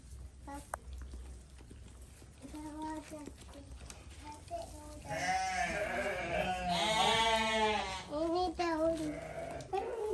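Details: Goat at feeding time, heard as people talk in Indonesian at first; from the midpoint come loud, wavering, harmonic-rich bleats, several in a row, nasal and quavering, with voices between them.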